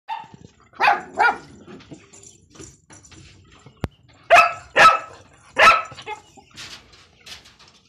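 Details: Pakistani Bhagyari dog, a pointer-type guardian dog, barking: two quick barks near the start, then a series of three loud barks spaced about half a second apart, with a sharp click between them and faint background noise.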